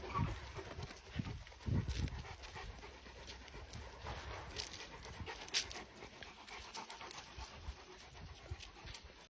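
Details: Caucasian Shepherd puppies at play, breathing in quick, breathy panting bursts that run through the clip, while a person speaks Georgian softly close by.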